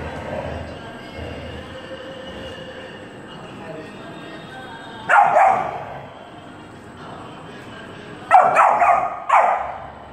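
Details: Saint Bernard puppy playing with a Dalmatian: after a steady low hum, one loud, broad bark, then a quiet spell, then two more sharp barks close together near the end.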